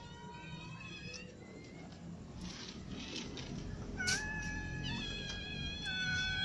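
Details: Domestic cats, a ginger cat with kittens and other cats, meowing while eating; several overlapping drawn-out meows with steady harmonic tones, some rising then level, one louder meow near the fourth second over a low background rumble.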